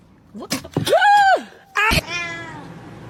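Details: Domestic cat giving two meows: a clear arched, harmonic cry rising then falling over about half a second, a short pause, then a second higher, flatter meow trailing off, with a few sharp clicks before it.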